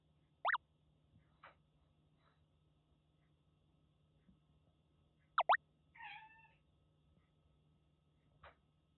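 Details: Rescued stray kitten, grey Russian Blue-like, about four to five months old, playing indoors with a timid older cat in Kagoshima; two sharp rising meows, then a short trilled chirp, with quiet gaps and a low steady hum.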